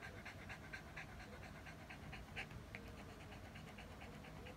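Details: A Shih Tzu pants in quick, breathy huffs, about two a second, cooling off under the air conditioner's breeze after a hot walk.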